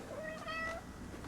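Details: Bombay cat, a male pet with a new scratcher, gives a short meow that starts slightly high, dips, then holds a level tone before fading, all within under a second, against quiet indoor background.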